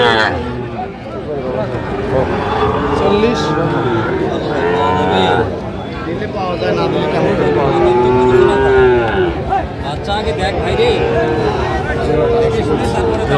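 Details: Sahiwal bull calves at a Gopalganj cattle market on 22 July 2025: overlapping lowing from several cattle, with longer moos near the end, set in a dense bed of crowd noise and bargaining voices.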